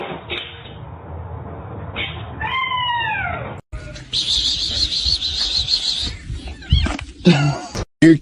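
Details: A single clear, downward-sliding meow from a domestic cat, rich in harmonics, then a buzzy high hum, scattered noise and brief speech.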